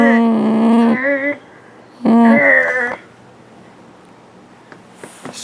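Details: Affectionate house dog pouncing on its owner gives two sustained, level, moaning whines about a second long each, separated by a brief pause, with a quiet room afterward and faint rustling.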